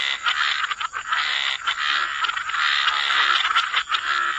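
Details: Frogs croaking by the waterside in a dense, continuous chorus of overlapping raspy calls, with only brief dips in loudness.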